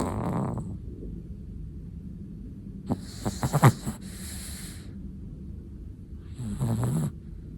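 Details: Snoring from a sleeping Chihuahua: soft, snorting inhalations with a few sharp nasal snorts in the middle, then a longer rasping breath near the end, against quiet room background.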